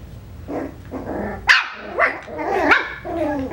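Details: Playful Coton de Tulear puppies at five weeks old trade quick, high-pitched yaps and squeaky rising barks, several overlapping in rapid succession.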